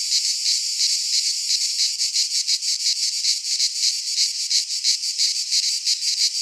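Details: Cicadas singing in midsummer in a Greek pine forest: a dense, high, hissing buzz that throbs steadily about three times per second, with no other clear sounds.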